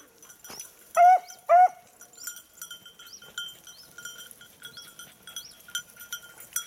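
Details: Beagle hunting a lost hare in October 2022: two quick, loud bays in succession early on, followed by soft high chirps and faint ringing tones in the background.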